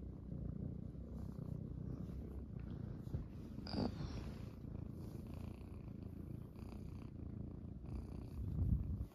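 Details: Munchkin kittens Pocha and Chabo settle onto their owner's belly one morning. Their continuous low rumbling purr fills the room steadily, with a brief faint higher rustle near the middle.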